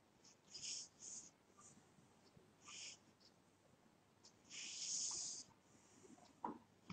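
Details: Sleeping pet cat snoring, with soft hissy breaths that come at uneven gaps, one long wheezy exhale near the end and a faint click after it.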